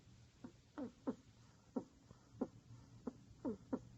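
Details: Loud snoring from a pet rat curled in a ball: sharp, raspy snorts in uneven pairs and singles, some with a quick falling squeak, spaced about a third to half a second apart, low room hum behind.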